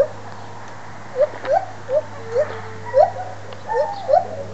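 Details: White-handed gibbons, a pair at the Toronto Zoo, howling excitedly; a run of brief upward-swooping hoots quickening toward the end, with a steady background hum.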